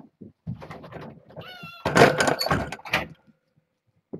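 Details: Kittens, a litter of four females and two males born August 29th to a family pet and now in foster care, meow insistently to get over a fence and out to explore; high harmonic mews rise and fall amid door thumps and handling noise.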